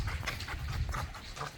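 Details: Pit Bull at a private dog park, playing with its new pack, panting in rapid breathy bursts roughly three times a second, with low rumbling handling noise underneath.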